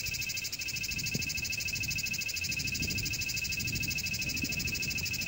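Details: Cicada song: an unbroken high-pitched buzz that swells and fades in quick, regular throbs about three times a second, with soft low rustling underneath.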